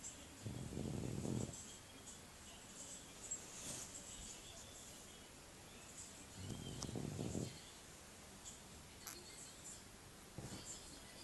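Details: French Bulldog snoring: low, rough rasping bursts of about a second each, heard three times roughly every three to four seconds, with quiet breathing noise in between.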